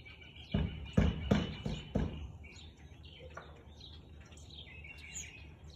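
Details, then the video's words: Siberian Husky barking on 13 March 2021 at 4:17 in the afternoon: four sharp, rough barks in quick succession over about a second and a half, then quiet with small birds chirping and twittering in the background outdoors. "Husky barking"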